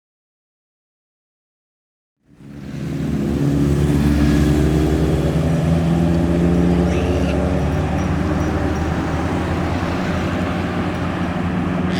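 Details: Two seconds of silence, then loud roadside vehicle engine and traffic noise, with no monkey call audible.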